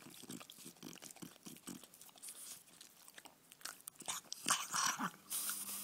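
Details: Male French Bulldog enjoying a bone: rapid crunching and biting clicks, about three or four a second, growing louder and sharper toward the end.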